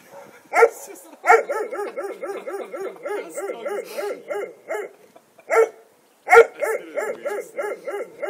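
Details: Dog guarding the house, vocalizing when asked to show its teeth: loud bark-like onsets followed by rapid rhythmic pulsing growl-barks, several bursts with short pauses, indoors and quiet otherwise.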